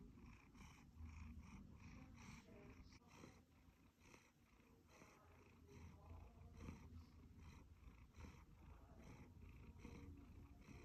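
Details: A contented one-year-old male Siberian Forest cat purrs steadily with a low, rumbling vibration.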